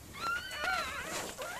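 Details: A Miniature Pinscher named Mirella gives birth to puppies; a single thin, drawn-out whimper that rises, wavers and bends downward over under two seconds.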